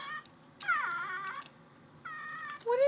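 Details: Indoor cat searching for a noise: drawn-out, slightly falling harmonic meows, then a shorter level meow and a rising final one, with a person speaking quietly in between.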